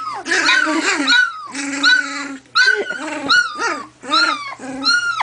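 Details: Two-week-old collie puppies from Hannibal and Ella's litter, indoors, newly discovering each other, with Quinn trying out her voice: high, whiny yelps and squeals in short bursts, some bending up then down, over a woman's soft chatter.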